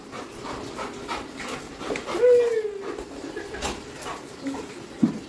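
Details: Labrador Retriever named Coco, delighted that father has come home, gives a single whine of falling pitch about two seconds in, amid soft panting and people talking in Bengali indoors.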